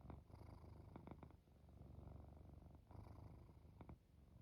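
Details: Sleepy cat drifting off with a steady purr, a deep buzzing rumble that swells and fades with each breath, punctuated by a few brief clicking sounds near the start and end.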